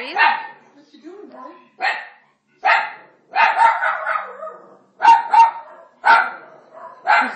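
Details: Italian Greyhound, a male dog, barking at Moses during The Ten Commandments on TV; loud barks repeat roughly once a second, some doubled, with low voices and TV sound between them.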